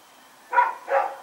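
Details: Rex, a dog out running at night on 21 September 2018, delivers two loud, gruff barks in rapid succession.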